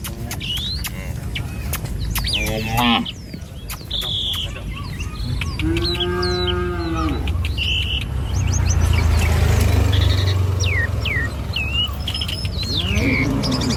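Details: Tame village cattle walk in a line along a rural road in the morning, heading to pasture. One long, steady moo rises from a low rumbling background, with frequent bird chirps and whistles around it.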